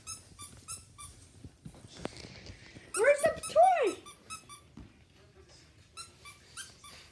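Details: Pet dog being tricked by its owner gives two loud, arched whining yelps that rise and fall in the middle of the clip, amid high short squeaky tones and a human voice.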